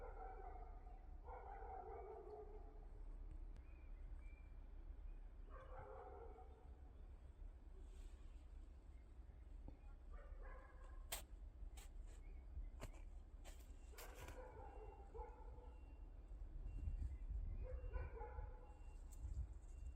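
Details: Cat in a yard it shares with rabbits, hens and a cockerel, giving drawn-out harmonic meows about a second long, repeated several times at irregular gaps, with scattered sharp clicks in the middle and a low steady rumble.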